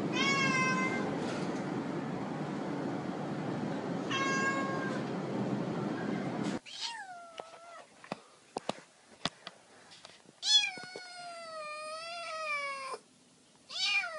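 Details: Domestic cat sounds meant to chase mice: two faint meows over heavy background noise, then a quieter stretch with scattered clicks and long, wavering meows rising and falling in pitch.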